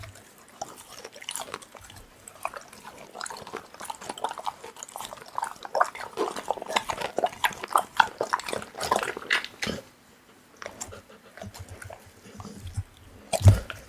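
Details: Pit bull eating raw meat indoors, dense wet chewing and crunching bites running almost continuously, with loud smacking clusters and a brief pause near the tenth second.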